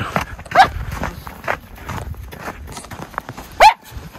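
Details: Miniature Schnauzer brothers playing in snow tunnels on a January day after weeks of snow; two sharp, brief barks about three seconds apart, with paws crunching through snow between them.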